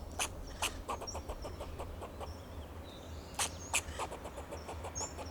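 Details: Fox squirrel on a Monterey pine in Del Monte Forest, California, giving alarm calls to protect itself and its territory: a run of sharp, barking clicks in quick series with two loud chucks late on, thin bird whistles and low rumble behind.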